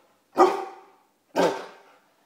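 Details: Bernese Mountain Dog barking on command as its owner asks it to sit and talk: two loud, deep barks about one second apart, each fading quickly, with silence around them.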